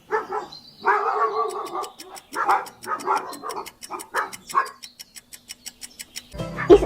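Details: Dog barking, played as a farm-animal quiz sound: a run of about seven harsh barks, the first few longer and rougher, the rest short and spaced, with a ticking clock underneath.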